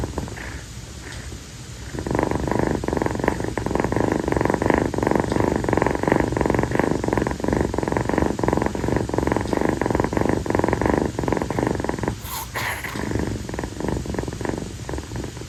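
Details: On a hot summer night, Kii, a young female calico rescue kitten, stays on her owner's feet after play and purrs the whole time. A long, sustained, pulsing purr runs unbroken for about ten seconds, then fades briefly before a soft rustle.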